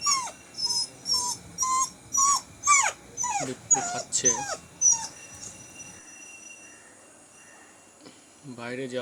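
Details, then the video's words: Bittu, a pet dog, sits on a low stool indoors, trying to go outside but lacking courage. It gives high, falling whines, repeated about twice a second for six seconds. The whines then stop, and a voice is briefly heard near the end. "বিট্টুর কান্না"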